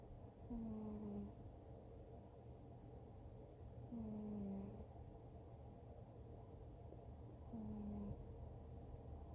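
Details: Dreaming cat asleep and snoring: three faint whistling snores that slide downward in pitch, repeating roughly every three and a half seconds, with a low background rumble throughout.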